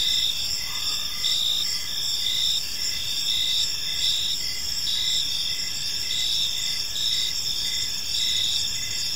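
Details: Evening crickets in a peaceful park, a layered high-pitched chorus with rhythmic pulsing chirps and a steady shrill background trill, no other clear sounds.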